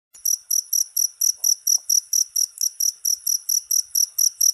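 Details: Cricket calling with a steady run of short, shrill, high-pitched chirps, about four per second, each chirp a brief buzzy pulse; a faint soft knock partway through, otherwise a quiet background.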